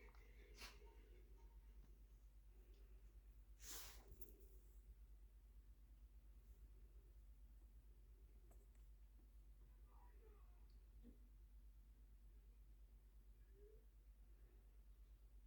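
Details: Sotis, a black pet cat, sneezing indoors: two sharp, hissing bursts, a lighter one near the start and a stronger, louder one a few seconds later, over a low steady room hum with faint soft rustles.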